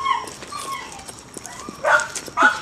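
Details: Thin, drawn-out whining from a dog, faint at first, then two louder bent whimpers near the end, over a quiet room with a person talking gently in the background.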